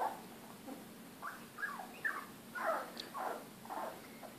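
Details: Three female Labrador retriever puppies, about 3 weeks old and just beginning to walk, give thin, squeaky whimpers that rise and fall in quick succession.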